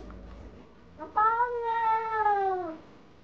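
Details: A cat's single drawn-out meow, rising slightly then sagging toward its end, heard over faint background hiss after a brief quiet lead-in.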